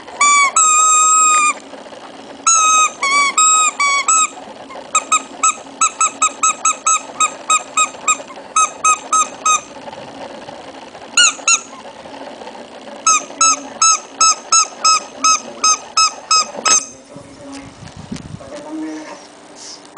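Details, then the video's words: Shih Tzu puppy producing a strange noise: long runs of rapid, thin squeaky yelps, sometimes rattled off in quick strings, sometimes spaced, ending with soft rustling and handling sounds. "puppy shih tzu kawneaw strange noise"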